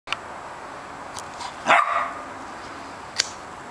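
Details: Pet puppy, unsure what to do with its bone, gives a single short, high, yelping bark that drops off quickly, with a few sharp clicks or taps before and after against a quiet background.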